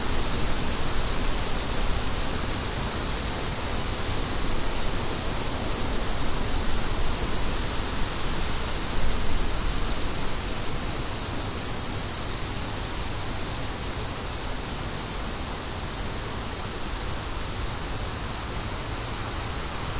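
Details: Cricket chorus with wind: an unbroken thin, high-pitched pulsing trill carries clearly over a continuous low roar of wind, with the rhythm of the pulses holding steady for the full stretch.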